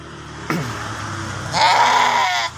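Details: Ram (male sheep) in its pen: a sharp knock opens, then after a pause comes a single nasal, wavering bleat of about one second over steady background hum and noise.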